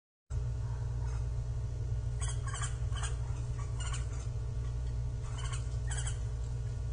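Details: Japanese giant flying squirrel calling, recorded 25 December 2023 during an outing with climbing, descending and twelve glides; harsh broadband bursts in short clusters rise above a steady low rumbling hum.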